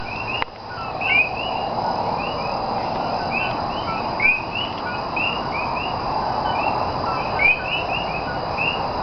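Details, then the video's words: Common coquí frogs calling at night in Cayey, Puerto Rico, recorded 28 January 2010: a dense overlapping chorus of short, bright, upward-sweeping chirps repeating continuously over a steady hum of background night noise. "Nighttime Sounds Of Puerto Rican Coquí ( Co-Key) Frog"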